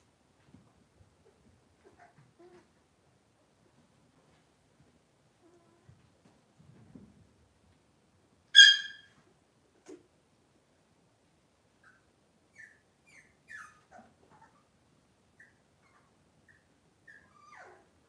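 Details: Cavalier King Charles Spaniel puppies indoors in a kitchen on a cloudy Monday morning: one sharp, loud high squeal stands out from near silence, followed by a scattering of brief, softer squeaks and small whines.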